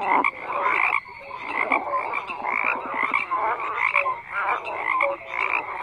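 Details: Frogs croaking densely, loud raspy croaks and a sharp drop in volume after one second, a rapid pulsing rattle midway, scattered short whistled notes and a constant high-pitched buzzing chorus.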